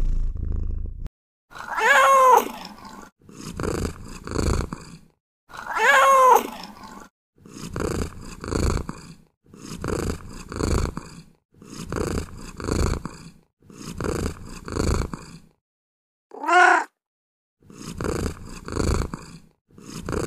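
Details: Cat giving three loud, harmonic meows, two early and one late, over a steady run of rough, pulsing sounds repeating about every second.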